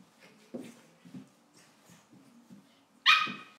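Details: A pug playing with a cavalier indoors gives low snorting grunts and snuffles, ending in one loud, high yelping bark.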